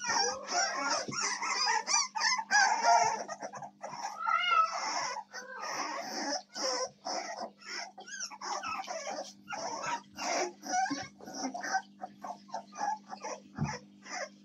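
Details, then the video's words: American Staffordshire Terrier puppies, recorded 7 May 2024, a litter squealing and whimpering in overlapping high, wavering cries, rapid and irregular, about three per second, with a steady electrical hum beneath. "щенки американского стаффордширского терьера"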